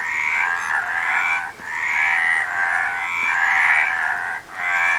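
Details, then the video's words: Series of long, pulsing frog croaks, harsh and rattly, almost continuous with only brief breaks between them, the only sound present. "Frog Sound"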